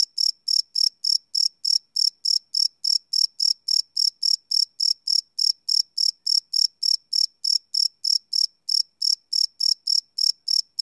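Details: Night chorus of crickets captured live on a Sony PCM D100 field recorder, a high, even train of short chirps at roughly three and a half per second with no other sounds.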